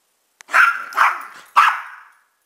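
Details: Mixed-breed pet dogs, a chihuahua/pug cross and a rat terrier/pitbull/jack russell/beagle cross, letting out three ringing barks about half a second apart, each trailing off with a drawn-out tail.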